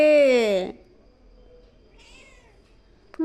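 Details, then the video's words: A kitten making bizarre noises on seeing a lizard: one loud, long, harmonic meow that rises then falls and drops off, followed by a fainter, wavering cry and a sharp click at the end. "Kitten makes Bizarre noises when itsees Lizard"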